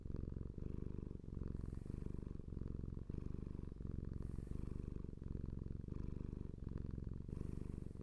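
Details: Close, low purring from a domestic cat, a buzzing rumble pulsing with inhale and exhale cycles about every one and a half seconds, with faint airy hiss on some breaths; no other sounds.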